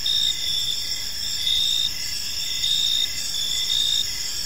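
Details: Park crickets at dusk: bright, sustained high buzzing trills with pulsed chirps repeating at a steady pace a little slower than once per second, and faint low background rumble.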